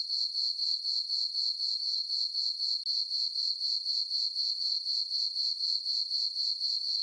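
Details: A chorus of crickets chirping at night in a summer meadow on a farm beneath a full moon; a piercing, uniform trill repeating around four times per second, steady and unbroken.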